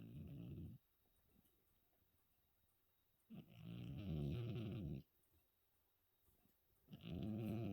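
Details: A 14-year-old cat snoring while sound asleep after New Year's Eve: low, rough rumbling breaths lasting about one to two seconds, separated by quiet pauses of roughly two seconds.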